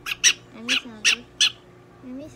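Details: Shrill, buzzy squeaks come from Donguri-chan, a pet prairie dog receiving veterinary care in Nagoya, five in about two seconds, alternating with a person's quiet soothing voice.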